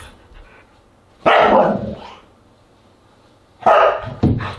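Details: Siberian Huskies at a dinner party on August 10, 2022, giving two loud, harsh barks about two seconds apart in a quiet room, the second followed by a shorter yelp.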